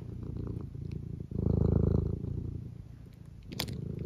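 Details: Tabby cat purring indoors beside a person, a low rapid rumbling pulse that swells loudest mid-clip then settles to a steady hum; a short sharp clink near the end.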